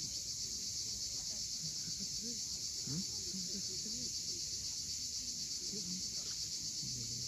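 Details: Sunset cicada chorus at Cape Fiolent on the Crimean coast, a dense unbroken high buzz with rapid even pulsing, while scattered short low chirps and murmurs come from below.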